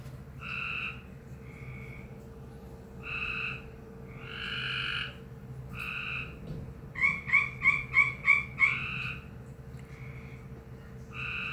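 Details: A frog, with smaller frogs nearby, makes an unusual noise that surprised the recorder: nasal, buzzy croaks, then a quick string of sharp pulsed notes, after which it left.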